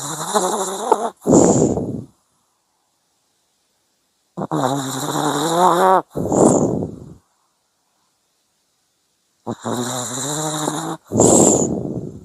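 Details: A sleeping dog snores in slow cycles, each about five seconds apart. A rattling, harmonic inhale is followed by a breathy, whooshing exhale, with complete silence between breaths.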